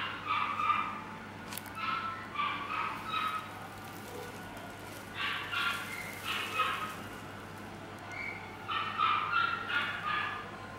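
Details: Pomeranian at a pet shop, barking in short bright bursts: a cluster near the start, another around six seconds and a third near nine seconds, with quieter gaps between and a steady low hum underneath.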